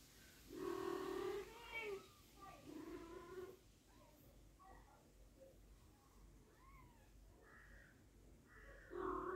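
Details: British Shorthair cat, a mother with her kitten indoors, giving a series of harmonic meows: a long wavering cry, a shorter one, then softer varied chirps and a final loud meow, with quiet background voices.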